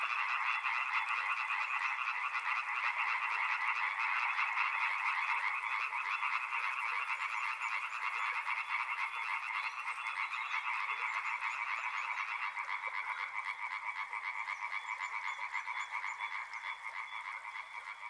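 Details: Frogs calling by a river: a dense chorus of rapid, overlapping croaks at about four per second, mid and high pitched, with a thin high-pitched hiss laid over the middle stretch.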